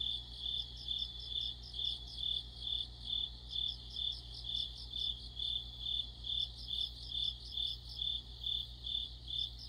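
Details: Crickets singing in the middle of autumn, an insect chorus under a streetlight: a steady high chirping pulsed about twice a second, with a faint layer of higher trills and a low hum beneath.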